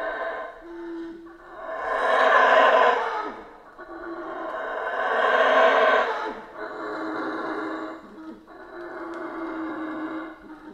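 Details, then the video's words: Howler monkeys in the Central American rainforest roar in three heavy, breathy surges a few seconds apart, each rising and fading, followed by a lower, steadier howl. "Rainforest Howler Monkeys Sounds"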